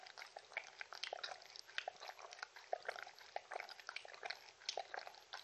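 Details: Close recording of Shetland Sheepdog Mindy drinking, rapid liquid laps and splashy clicks repeating in quick rhythmic bursts over the whole stretch.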